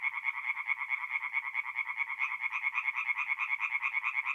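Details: Forest-pond tree frogs calling by night in mid-April in north-east Italy; one nearby frog gives evenly spaced, grating pulsed croaks about twice a second over a softer background chorus.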